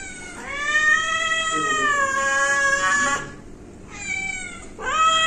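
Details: Domestic cat at home producing one long, wavering meow lasting nearly three seconds, then after a short pause two clipped, rising meows; clear and close, quiet room.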